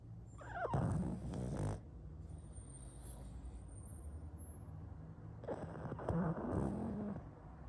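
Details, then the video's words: Sleeping pug snoring: two long, rough, low snorting breaths near the start and end, with a steady low rumble between them. "Мопс спит и храпит"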